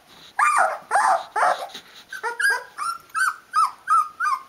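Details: Rhodesian Ridgeback puppies of a D-Litter, 16 days old with eyes open, calling their mother to feed them: a few rough, noisy squeals, then a quick series of short high whimpers repeated about three times a second.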